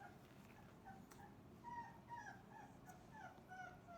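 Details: After a messy breakfast, Cane Corso puppies of Didi and Lexi heap into one pile and whimper; brief high squeals and whines come in quick irregular bursts from several pups over a faint low drone.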